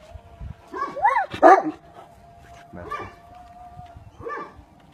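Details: Aksaray Malaklısı dog at a farm giving several short whining yelps with rising-then-falling pitch arcs, spaced about a second apart, over a steady faint hum and low background noise.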